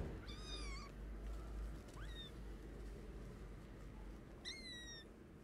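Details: Motherless, sick kittens begging for food: a loud wavering meow, a short rising squeak, then another bright, slightly falling meow, over steady low-frequency background noise.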